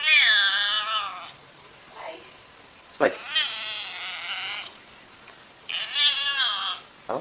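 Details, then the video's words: Domestic cat answering its owner with three long, complaining meows, each wavering and held about a second, spaced roughly three seconds apart. A man briefly speaks between the cries. "WEIRD CAT NOISES"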